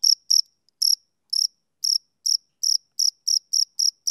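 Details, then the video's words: Chirping of a male cricket on a summer evening, high pulsed chirps at uneven intervals, at first sparse with longer gaps, then closer and steadier toward the end, with no background sound. "Cricket Chirping Sound Effect"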